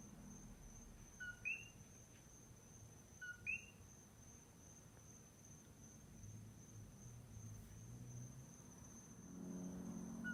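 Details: A single common coqui frog calls at night on the Big Island of Hawaii, giving its two-note 'co-qui': a low note followed by a rising whistle.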